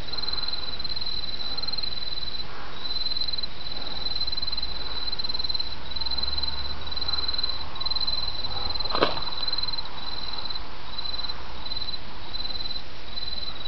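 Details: Autumn insects trilling in a steady, high continuous band broken by brief pauses, over the constant rush of a babbling stream, with a single sharp click near the end.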